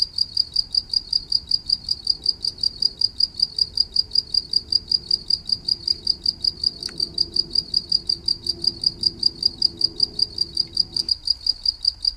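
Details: Cricket chirps pulse steadily at a quick rhythm, high and piercing, while a faint low tone hums midway and a short click sounds around the middle.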